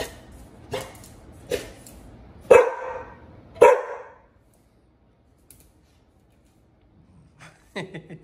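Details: Puppy Liberty won't leave Pit Bull Bullet alone. Four barks come in the first four seconds, the middle pair loudest, then near silence, then a quick cluster of softer barks at the end.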